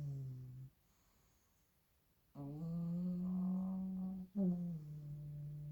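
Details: Two little pug puppies asleep indoors, snoring loudly: drawn-out nasal, humming tones lasting a second or two, separated by a quiet pause, the later one rising slightly then settling.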